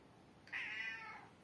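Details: House cat waiting hungrily for food, giving one drawn-out meow that holds steady and then falls gently over roughly three quarters of a second in a quiet room.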